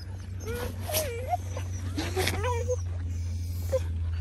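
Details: Border Collies at a Czech kennel whimper in short, looping, rising and falling whines, a few quick yips mixed in, as a woman calls out dog names in Czech over a constant low hum.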